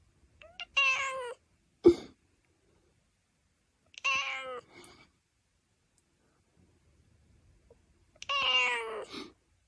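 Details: Domestic cat indoors giving three drawn-out harmonic meows, each under a second long, spaced about three to four seconds apart, with a sharp click between the first two and soft Chinese speech nearby.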